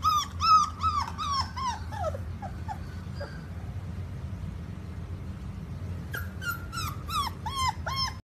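A Rottweiler puppy gives quick runs of high, whiny whimpers that slide downward, over a low background rumble.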